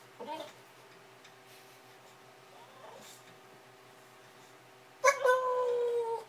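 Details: A bulldog making funny noises indoors: a short squeaky yelp at the start, a faint whimper near three seconds, then a loud drawn-out whining cry with a falling pitch lasting over a second at the end.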